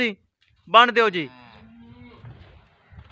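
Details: Jersey Friesian cow kept for sale at Pakpattan; a short, harsh, wavering moo trails into a steady low hum for nearly a second, followed by faint shuffling and human voices in a small room.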